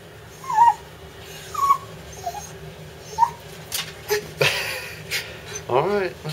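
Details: Excited about bath time, the dog Digger lets out several short high whines spaced about a second apart, then a burst of running water and a person's voice near the end.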